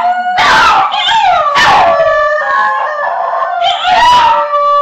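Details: Basenjis of one pack howl along to a TV theme tune in long, wavering tones that slide up and down, with brief yelping breaks.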